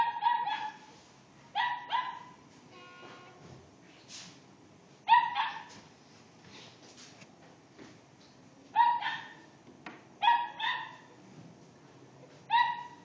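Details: Dog reacting to a cat trolling it: sparse pairs of high, clipped barks separated by several seconds of near silence, some bursts louder and more insistent.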